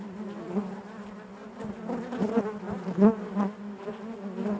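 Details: A colony of honey bees hums inside the hive: a low, steady buzz with faint higher overtones, swelling gradually and peaking in a sharp loud pass near three seconds.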